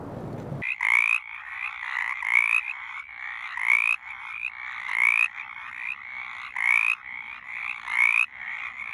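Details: Mountain chorus frog calling in Virginia, heard in March, April and into early May, its call likened to a squeaky wheel; rising creaky trills repeated roughly every 1.3 seconds, with other frogs trilling steadily behind.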